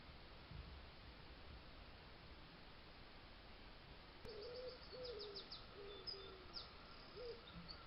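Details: Fox in a Suffolk garden, filmed by trail camera on the night of 19th to 20th July 2022: a run of short, tonal, mid-pitched whining squeaks with gently bending pitch, several in quick succession after four seconds of quiet, over steady background hiss.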